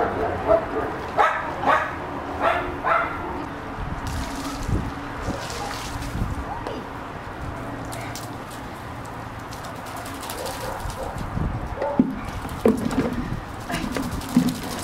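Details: Japanese Chin named Pandi, a pet dog who hates bath time, being bathed; a run of short, high whimpering yips about every half second at the start, then steady rushing water noise, with a few more whines near the end.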